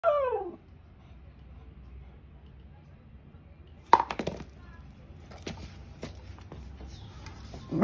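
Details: An angry beagle, upset at a powder box, gives a sliding, falling whine and then a few sharp barks in a small room.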